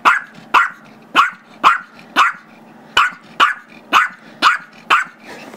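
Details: A 5-year-old Chihuahua/Yorkie mix named Gizmo yaps at his younger Yorkie brother over a squeaky toy, recorded February 10, 2011; ten crisp, evenly spaced barks about every half second with soft growly undertones.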